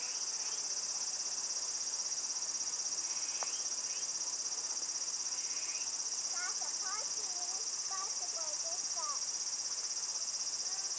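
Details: Loud cicadas in Japan: a steady, piercing high-pitched ringing drone holds without pause throughout, with faint short bird chirps and twittering notes scattered beneath it in the second half.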